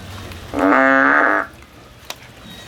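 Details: Frog climbing a tree while looking for a way out, giving one drawn-out, steady, nasal harmonic call just under a second long, then quiet with a faint low hum and a single click.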